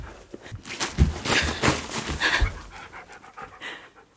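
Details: Siberian husky playing with balloons indoors, panting in quick breathy bursts, irregular and soft, while a woman talks to him in between.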